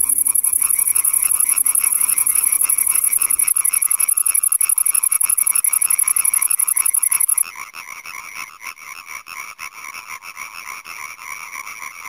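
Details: European tree frog (Hyla arborea), advertisement call.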